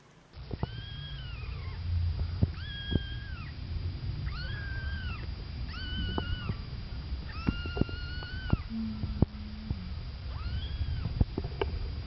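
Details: Three-week-old kittens meowing to alert their mother that they need attention: a series of about seven clear, arched, harmonic meows, each rising then falling, spaced one to two seconds apart over low rumbling background noise.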